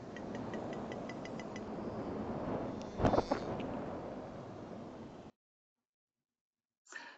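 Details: Southern Resident killer whale echolocation while detecting and chasing Chinook salmon: a series of sharp clicks speeding into a rapid buzz, over the noise of water flowing.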